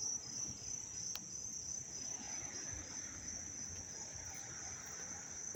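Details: Loud, close cricket chirping in Dobbs Ferry, New York, on August 19, 2025: an unbroken, very high, pulsing trill dominating throughout, with one sharp click and a faint low background rumble.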